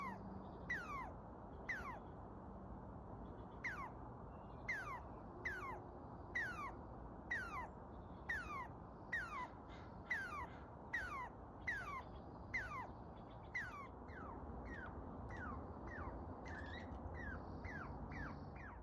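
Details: Squirrel up a tree after reacting to a dog's barking, making a series of sharp calls that slide steeply downward, repeated about once a second for most of the stretch, with faint background hum.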